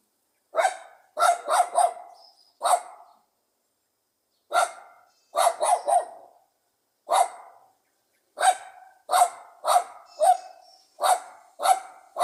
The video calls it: The pleasant sound of a Pug dog barking.